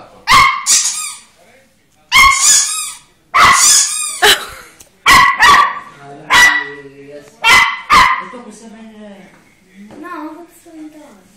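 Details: Volpino Italiano puppy, two months old, indoors: a series of sharp high yips and short barks in bursts, about eight in eleven seconds, with a softer whine near the end and a person talking in Italian.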